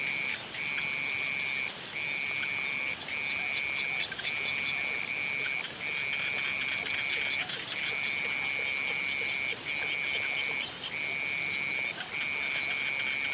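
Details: Frogs at sunset giving long, even, high-pitched trills, each lasting one to two seconds with brief gaps. Soft rapid clicking and a steady shrill background drone are heard throughout.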